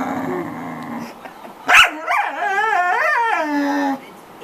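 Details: Noisy pet corgi: a long steady whine, then a sharp yelp leading into a wavering, wobbling howl that rises and dips for about two seconds before fading.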